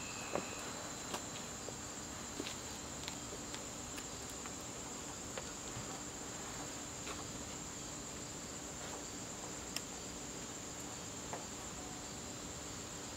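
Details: Evening cricket chorus from a garden in September, a continuous thin high trill that never breaks, dotted with frequent light clicks and patter-like taps nearby.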